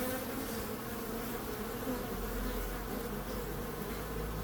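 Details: Bees buzzing in a steady, continuous drone, a dense hum with bands of tone around the low-middle range, unbroken throughout with no other clear sounds.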